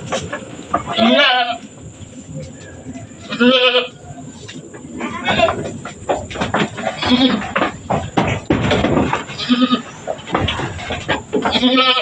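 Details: Goat giving birth on a farm, delivering two kids one after another; several tremulous, nasal bleats spaced a few seconds apart, mixed with people talking and scattered clicking and rustling sounds.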